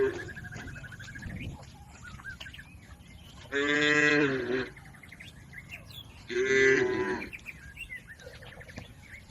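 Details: Two strong, deep moos from herded cattle crossing a river toward their pen, spaced about three seconds apart, over a background of chirping birds.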